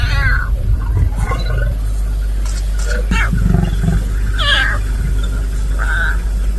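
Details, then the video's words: Hungry lion cub in Maasai Mara, Kenya, meowing at a lioness for food: short, mewing, harmonic cries near the start, around four and a half seconds and at six seconds, over a steady low rumble. "Hungry Little Lion Cub Keeps Meowing at Lioness"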